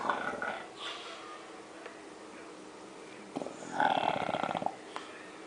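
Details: Snoring from Jorge, a French Bulldog: a faint wheezy breath at the start, then one loud, grating, pulsed snore of almost a second, with a brief click afterwards.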